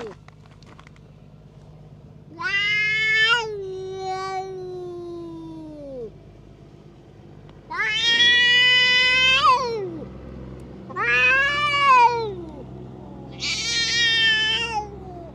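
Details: Stray cat picking fights with the cats around it gives drawn-out wavering yowls, four separate cries, the later ones harsh and high, over a low steady background hum.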